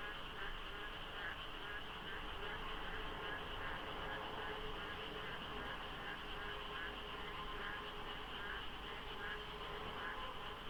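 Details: Dawn frog chorus during the monsoon at the Deokso IC expressway, slightly foggy with few cars: many frogs or a few overlapping, sending out steady repeated croaking pulses over a constant low roar and an even high-pitched drone.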